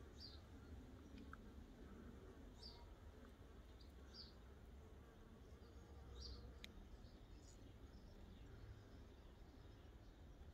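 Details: Scout honey bees investigating a swarm trap, a 12-frame Layens hive fitted with six frames, old drawn comb and wax foundation. A low, steady buzzing drone runs throughout, while short high bird chirps break in every second or so over a faint background rumble.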